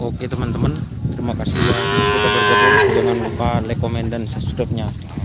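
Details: Young racing cattle at the Asemanis field in Pamekasan on Madura, East Java, Indonesia. One drawn-out, wavering moo that swells and then fades, with shorter lowing and background voices around it.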